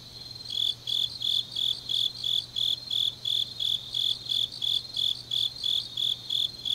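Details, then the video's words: Autumn grass insects chirping late at night in Changnyeong, South Gyeongsang, Korea; a shrill, high pulse repeats roughly three times per second, regular and unbroken, over a faint low steady hum. "깊은밤 가을 풀벌레 소리"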